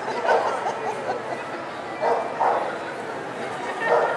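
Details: Poodle recorded in Long Beach on 11 December 2008, giving short, mid-pitched barks at irregular intervals, about four in four seconds, over steady background hiss and murmuring voices.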